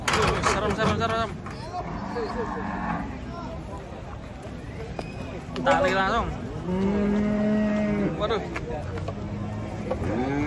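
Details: Cattle being taken off a truck low repeatedly. Several drawn moos rise and hold, the clearest lasting over a second near the end, against a steady background of talking people.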